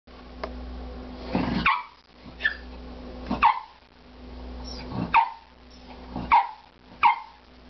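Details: Dog named Caesar indoors, barking excitedly at something hidden inside a wall; sharp single barks repeat every one to two seconds over a low steady hum.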